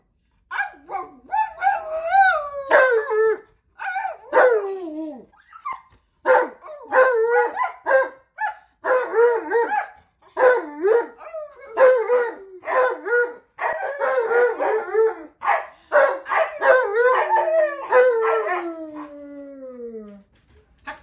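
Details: Alaskan Malamute 'talking' at length indoors while a person imitates him, a second dog joining in; a continuous stream of yodelling, wavering howls and woo-woo vocalizations, pitch sliding up and down, ending in a long falling howl.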